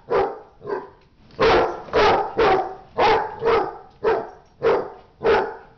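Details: Fighting dog giving loud rough barks, some paired in quick doubles, roughly a dozen over six seconds with uneven spacing.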